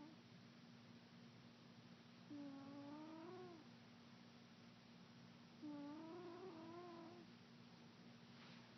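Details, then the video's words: Pet cat snoring while asleep indoors: two drawn-out, wavering, whistly nasal tones about three seconds apart, each lasting over a second, over a steady low electrical hum in a quiet room. "Kitty snores"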